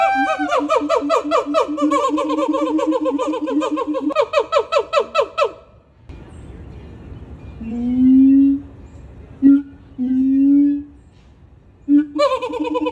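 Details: Sumatran siamang gibbons calling while jumping, a howling and screaming chorus. A long sequence of fast, pulsed, ringing hoots slows into spaced notes. After a hush come low, drawn-out booming tones, then a sudden renewed burst of loud screaming barks.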